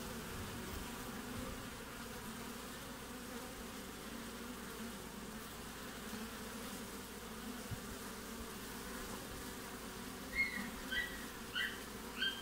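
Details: Midwinter hive entrance in Australia, 20 June, honey bees coming and going: a steady low drone for most of the stretch, then several short higher chirping sounds over the last two seconds.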